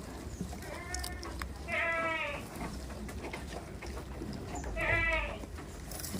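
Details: Farm goats, kept tame, bleat three times: a short, quavering cry, a louder drawn-out wavering bleat, then another trembling bleat near the end, with a low rumbling hum and faint clatter behind.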